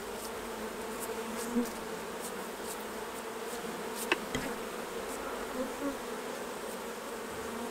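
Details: Beekeeping scene as honey is taken off the hives: a continuous even buzz of many honey bees, with faint taps and a brief rattle partway through.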